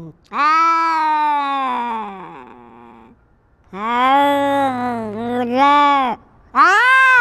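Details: Cat in a territorial fight, asserting dominance: sustained, harmonically rich caterwauling howls lasting up to three seconds, sliding slightly up and down, with a brief quiet gap before the next yowl begins.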